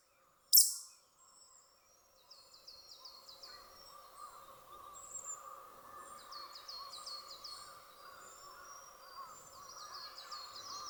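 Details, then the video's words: Male pika in breeding season; males usually call five or six times in a row, and here the first call sounded unlike the usual. After a sharp click, rapid bursts of four to six short, high, squeaky notes recur over a steady lower chirping background. "ナキウサギのお父さん 発情期？の鳴き声を披露 オスは通常５，６回連続して鳴くのですが１発目の鳴き方が通常と違うようでした"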